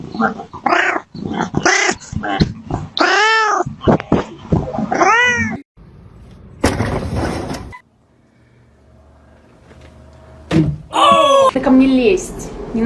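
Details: Cat making weird noises: a run of arched, wavering yowls and meows repeated in quick succession, then a burst of noise and silence, followed by more drawn-out rising and falling wails.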